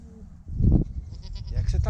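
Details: Newborn goat kid, the first of the year, giving a short harmonic bleat over heavy low rumbling and handling noise, with a few faint tonal fragments after it.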